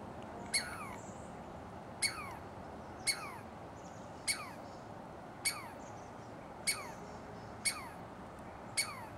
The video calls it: Douglas Squirrel Alarm Call